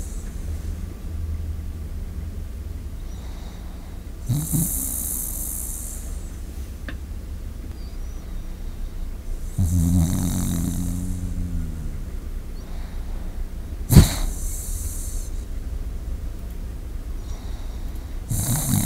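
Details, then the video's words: Sleeping Shiba Inu recorded up close with a microphone set before it, soft snoring breaths with snorting puffs near five, ten, fourteen and eighteen seconds over a steady low hum. "잠자는 시바견 앞에 마이크 설치 시바견 숨소리"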